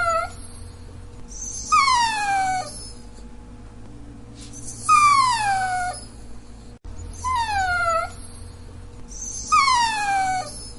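A Dachshund whines in high, tonal cries that slide downward, repeated every few seconds.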